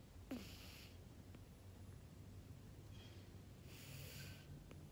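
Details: Burmese cat named Matilda, asleep indoors, snoring softly: two breathy, noisy snores about three and a half seconds apart over a low, steady rumble, with faint clicks between them.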